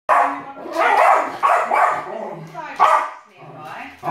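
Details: An older male West Highland White Terrier barks at a television indoors, loud sharp barks every half second or so, while a younger female Westie pulls him away.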